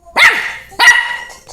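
A miniature schnauzer gives two sharp, high-pitched barks in quick succession.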